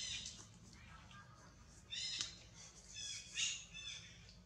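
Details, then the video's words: Female baby monkey Nathan 'talking' to herself with gestures: a few brief high-pitched squeaks and chirps in separate bursts, louder around the middle and near the end, with a faint low hum underneath. "Baby Monkey Nathan Talking Alone With Her Gesture Show Up"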